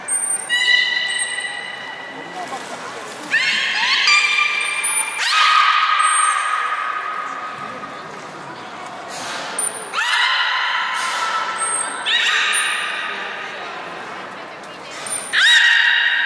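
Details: A captive beluga whale at Nagoya Port Aquarium during gate training on 3 May 2019, before the 11:00 public session, gives squeaky, nasal whistles and buzzy harmonic calls with short high pings.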